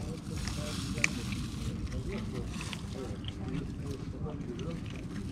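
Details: Tuxedo kitten, a stray living near the beach in Istanbul, purring loudly after eating while climbing on a person and wanting to play: a steady, low, pulsing rumble runs unbroken through the clip, with one sharp click near the first second.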